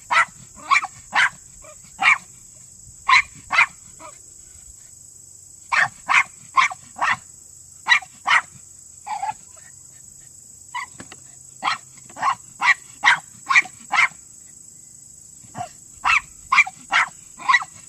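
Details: Male Miniature Pinscher working underground during a Senior Earthdog leg, barking sharply and rapidly in quick bursts of two to five yaps, about two per second, with short pauses; a steady high-pitched whine runs throughout.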